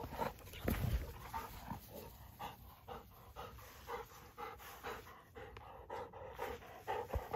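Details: Great Pyrenees puppy named Daisy panting while playing soccer: steady breathy huffs repeat about twice a second throughout, soft and noisy, with outdoor background hiss.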